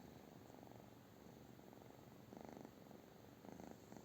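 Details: Purring British Shorthair cat, low continuous rumble with rhythmic pulses, two louder swelling bursts near the end as breathing cycles strengthen.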